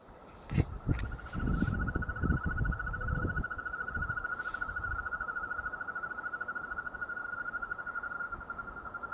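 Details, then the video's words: Frogs calling after a day of rain. A steady, even, pulsed trill holds at one mid-high pitch throughout, joined by a fainter higher trill. Loud rustling and knocking noises occur in the first few seconds. "Il canto delle rane dopo una giornata di pioggia"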